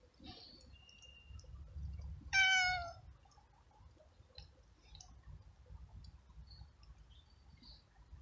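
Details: Hungry stray cat living alone on the street, met during a walk in the rain while eating flying ants; one loud, harmonic meow rises and falls near the middle, with soft clicking and faint bird chirps around it.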